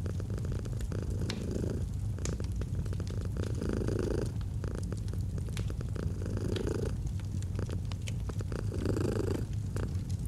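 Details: Feline purring beside a fire: the soft, low vibrating rumble intensifies in periodic breath-linked surges, with crisp pops and crackles from the fireplace mixed in throughout.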